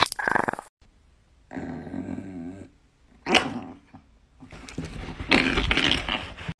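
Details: Angry Chihuahua snarls and growls in uneven bursts: a harsh opening burst, a wavering tonal growl lasting about a second, then rough, noisy snarling outbursts, with brief quiet gaps between them.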